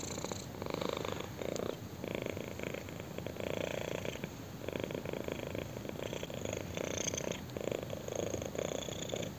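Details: A kitten purrs with pleasure under chin scratching, the rumble rising and falling in regular breath-paced pulses, each lasting around a second, with soft brushing sounds of the scratching.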